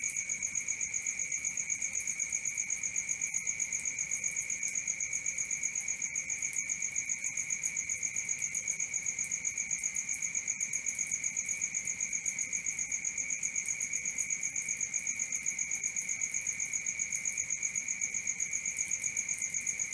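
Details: Night-time crickets keep up a continuous shrill trill of fast, regular pulses, close to four each second, with two bright high pitches sustained evenly and nothing else clearly heard.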